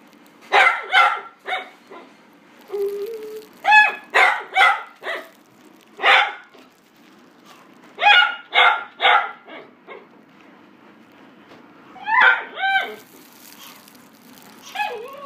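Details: Female white and cream Chihuahua born January 2018, at a pet shop, barking in quick bursts of two to five sharp yaps separated by short pauses, with a few higher whiny yips near the end.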